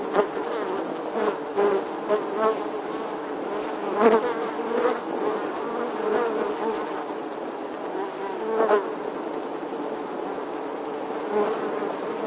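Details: Bustling honey bees at their nest inside the weathered wall of an 11th-century English church, August 2020; a continuous buzzing drone broken by several sharp louder hums as individual bees zip past, at about four and nine seconds.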